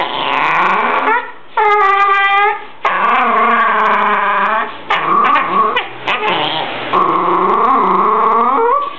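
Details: Jack Russell Terrier, described as a nervous, aggressive little dog, giving long drawn-out whining howls with rich harmonics, rising and falling in pitch. There are several sustained wails broken by short gaps and a few yips, indoors.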